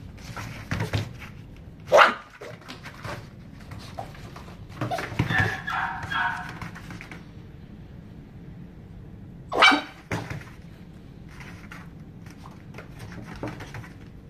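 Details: A male red-coated dog born 1 July 2018, kept at a pet shop, gives two sharp, high yelping barks about eight seconds apart, with handling noises and rustling between them.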